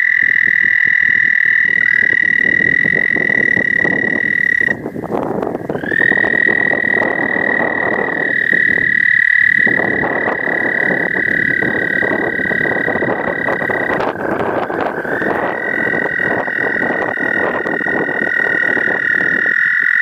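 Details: American toads give long, steady, musical mating-call trills that run for many seconds, overlapping one another.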